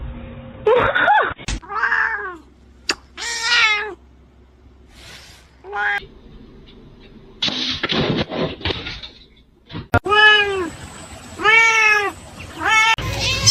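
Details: Kittens and cats meowing indoors in a funny compilation: several short arched harmonic meows, a pair of clear repeated mews near the end, mixed with bursts of human speech, laughter and screaming.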